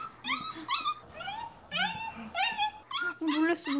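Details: A rescued mixed-breed Labrador Retriever puppy, born July 2018, reacts on first hearing howling with short, high, wavering howls in quick bursts while a person speaks nearby.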